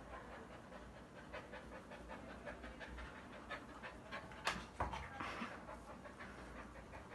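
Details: Panting Bakharwal dog from a breeding kennel, quick airy breaths repeating about three times a second, fairly regular, with a couple of sharper clicks and rustles near the middle against a hissy background.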